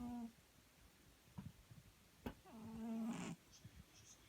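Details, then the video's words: A cat snoring in a quiet room: a brief low buzzy tail, then one longer rasping, tonal snore of about a second, with faint clicks and rustles around it. "Кот храпит."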